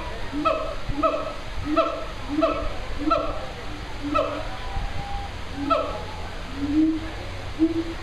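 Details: A siamang (Symphalangus syndactylus) at a zoo makes its morning calls, a run of loud, ringing hoots repeated quickly, each with a short rising or falling inflection.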